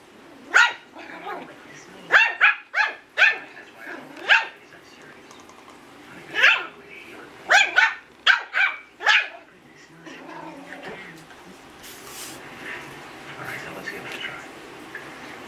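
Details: An 8-week-old Yorkshire Terrier puppy barking for the first time: high, sharp yaps in quick clusters of two to four, about a dozen in all, then quieter and fading, with soft indoor background noise.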